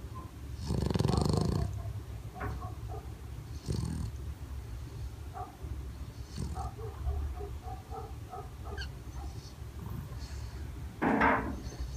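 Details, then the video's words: Bulldog dozing with its eyes open, giving a few deep, rough snorting breaths, a loud one near the start and another at the end, with quieter rasping breaths and faint clicks between them in a quiet room. "Bulldog Túrin roncando acordado"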